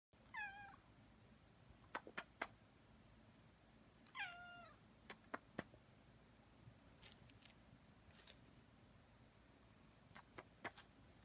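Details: Aki, a pet cat kneading indoors beside its owner, gives two short descending meows, one near the start and one about four seconds later, with soft clicks and taps scattered through a quiet room.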